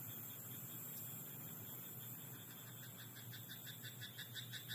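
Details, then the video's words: Frog croaking in a rice paddy at night; faint at first, then a quick train of pulsed croaks builds over the last seconds against a steady high hiss and a low rural hum. "田んぼのカエル "Croaking frog in rice paddy at night""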